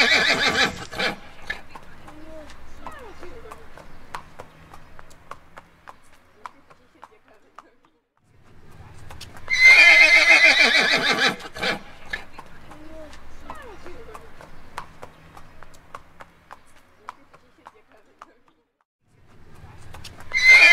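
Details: A horse (Equus caballus) whinnies in loud, shrill calls that shake and fall away, with a voice talking between them.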